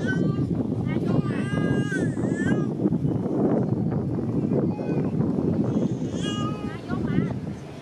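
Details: A baby monkey left without its mother cries in drawn-out, wavering, bleat-like wails, two main bursts a few seconds apart, over human talking and a low background rumble.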